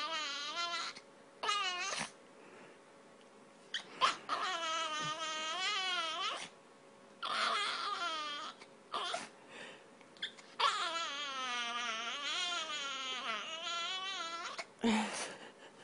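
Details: Snickers, a spoiled pet dog that never stops begging for food, whining at a bedroom door indoors; long, high-pitched, wavering whines that rise and fall, coming in sustained stretches of several seconds broken by short pauses.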